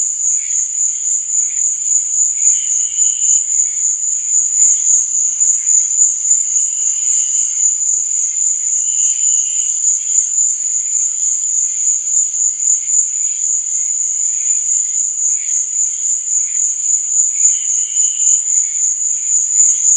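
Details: A continuous piercing trill of crickets at night runs without pause, overlaid by scattered quieter chirps and several short, clearer mid-pitched trills spaced a few seconds apart.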